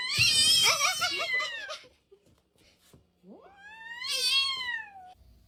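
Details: Domestic cat meowing twice: a long wavering, slightly rising-falling meow, a pause, then a second drawn-out meow that rises and slowly falls; faint background noise between calls.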